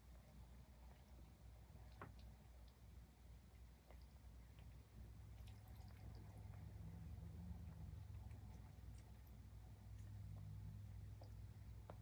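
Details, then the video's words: Highland Lynx cat grooming and purring indoors: a continuous deep rumble that swells louder in the second half, with occasional sharp licking clicks and faint wet smacks. "Cute Cat Purring and Grooming l ASMR l Highland Lynx Cat"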